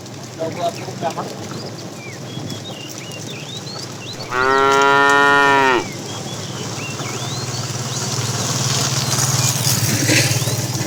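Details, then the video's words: Herd of cows with calves wandering in the morning looking for food; one steady, rich moo lasting about a second and a half mid-recording, with birdsong around it and a rising low engine-like hum afterwards. "Cute sounds of calves"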